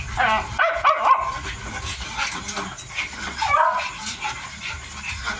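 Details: A 55-day-old Miniature Dachshund puppy eating. High squeaky whines and yips come in a cluster at the start and again briefly later, over steady chewing and room noise.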